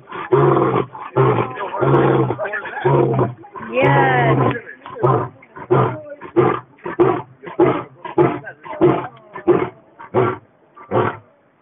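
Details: A lion at San Diego Zoo roars on 20 July 2012: several deep, drawn-out moans give way to a run of shorter, repeated grunts.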